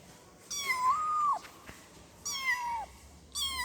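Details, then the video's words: Kitten mewing to call its mother: three high, drawn-out meows, the first long with a wavering, level tone, the others shorter and falling at the end, separated by quiet gaps. "efek suara anak kucing mengeong memanggil emaknya"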